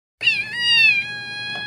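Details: Female kitten crying for attention, a habit she keeps up non-stop until she gets it: one clear, high, tonal meow lasting nearly a second, holding level and then trailing off into quiet room noise.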